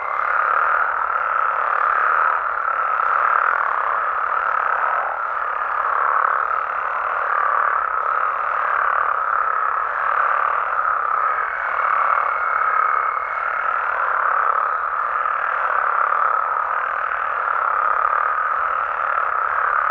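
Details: Massed Mexican frogs and toads call through the night in their natural habitat in Mexico. The dense croaking chorus swells and dips gently, and a brief high tone appears near the middle.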